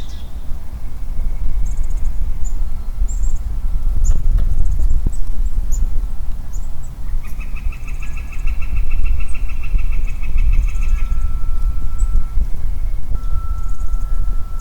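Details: A lone male Western Chorus Frog calling in woodland in early spring: after a few seconds of scattered high bird notes, a steady run of quick clicking pulses lasts almost four seconds over constant low rumbling wind and a faint continuous hum.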